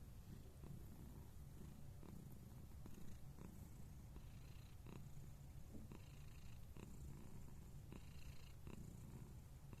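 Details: Purring Scottish Fold cat, recorded 29 November 2021: a low, even rumbling drone through the whole stretch, with occasional soft rustles and faint higher hiss bursts.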